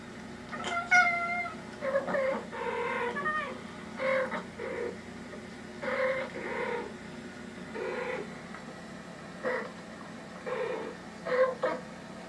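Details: Domestic cat indoors responding to recorded cat voices from a speaker, as if friends were inside; a long run of short, clipped meows and chirrups comes roughly every second, some rising and falling, over a steady low background hum.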